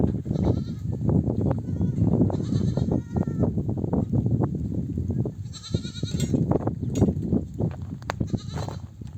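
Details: Nomadic flock of sheep returning from desert pasture, mother sheep bleating to call their lambs to nurse; several wavering, harmonic bleats overlap above a steady rumble of trampling hooves and movement.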